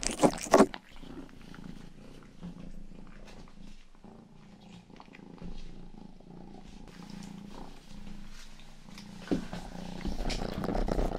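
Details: Indoor pet cat Rangi, youngest of the family's cats, purring steadily; after an opening loud rustle comes a smooth low rumbling drone with faint pulsing, then louder rubbing and handling noise over the final seconds.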